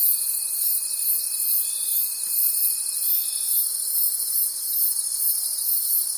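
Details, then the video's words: Night forest cricket chorus, a continuous high-pitched buzzing trill with a soft regular pulse, plus a steady lower whine that drops out just past halfway. "Cricket Conversations at Night"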